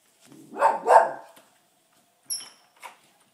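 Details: An indoor pet dog that barks every day, even at night, at people walking past: two loud, rough barks in quick succession, then two faint short sounds after a pause.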